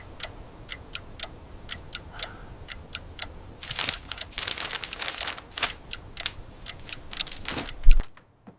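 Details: Indoor handling noises: sharp irregular ticks and taps, a burst of rustling in the middle, then abrupt silence, with no animal sounds.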